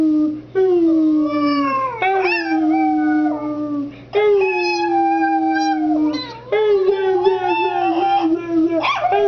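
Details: A Chihuahua howls while being led by its owner. It gives long, sliding, tonal wails that start high and droop lower, in three drawn-out bouts with short breaks between them, rich in harmonics, with a rising quiver near the end.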